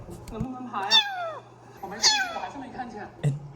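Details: Young kitten, frightened after recalling falling into water, cries out twice in sharp meows that rise and then slide down, about a second apart, with a steady low hum and faint background sounds.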